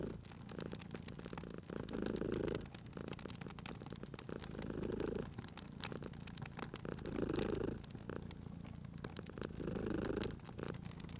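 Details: Cute cat purring near a crackling fire, low rumbling purr pulsing in rhythmic breaths about every two and a half seconds, accompanied by scattered crackling pops of the fireplace.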